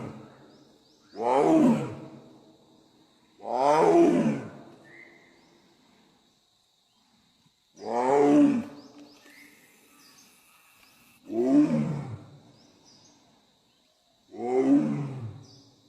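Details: Royal Bengal tiger roaring in the Sundarbans: five loud, deep roars, each about a second long with falling harmonic sweeps, spaced two to four seconds apart. A faint steady high tone runs beneath.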